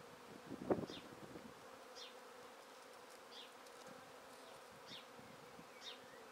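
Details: Honey bee swarm being taken from a tree directly into a swarm basket: a low, steady humming drone under short, high, falling chirps from a bird every second or so, with one sharp handling knock near the start.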